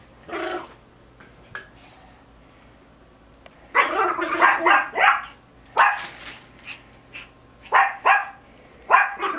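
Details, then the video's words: Biewer Terriers Harry and Isabelle tugging a hair accessory in play, March 2008; after a quiet start, bursts of growling and high yappy barks cluster together, interrupted by short pauses, with a person talking to them. "Biewer TUG-o-WAR"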